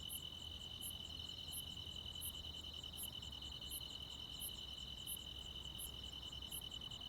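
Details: Countryside crickets with other insects at night in high summer. A continuous high-pitched buzzing trill holds throughout, while brighter, piercing ticks beat evenly roughly every 0.7 seconds above it. A soft low hum sits underneath.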